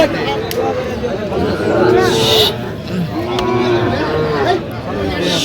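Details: Sahiwal bull calves at a cattle market in Mymensingh, Bangladesh, on 11 October 2025: several drawn-out, harmonic moos rise and fall over people talking and general market chatter.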